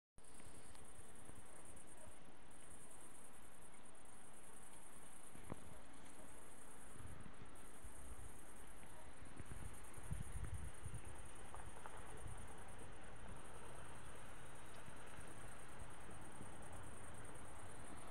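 Grasshoppers keep up a steady, high, shimmering buzz, broken by brief dips, over a low wind rumble.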